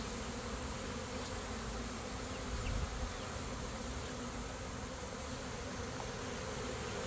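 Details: Thousands of honey bees from a captured swarm of about 15,000 to 20,000, with their queen, droning after being shaken into a box for relocation; an even, low, continuous hum, fainter and steady, with one brief louder swell.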